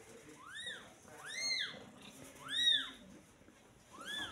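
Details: Newborn kitten, only a day old, calling with four clear, piercing mews, each a quick upward sweep that arcs back down, spaced about a second apart in a quiet room.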